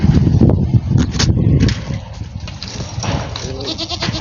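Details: A domestic goat making odd noises: a burst of low, rough, rumbling grunts in the first one and a half seconds, then quieter throaty sounds and faint clicks.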